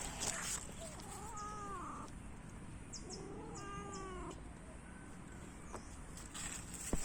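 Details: Orange domestic cat uttering two wavering harmonic meows around the middle, the second slightly higher and longer, over a constant low rumble, with scattered clicks and a knock at the end.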